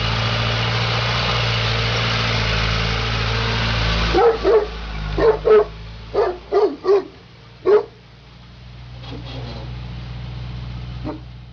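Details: Neapolitan Mastiff, a female working dog, barks in a short burst of about seven deep, gruff barks over four seconds, then two fainter ones, over a steady low engine-like hum and background rumble.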